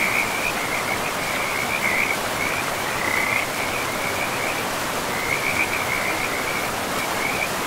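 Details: Frog chorus near a forest river among trees and moss: continuous high, rapid trilling with bright louder spurts around the second and sixth seconds, carried over the steady roar of flowing water.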